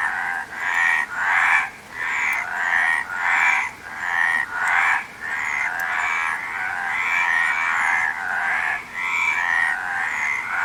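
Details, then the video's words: A frog chorus of raspy, pulsed croaks, about one swelling burst every second or so, several callers overlapping into a near-continuous drone, with faint high chirps in the background. "Frog Sound"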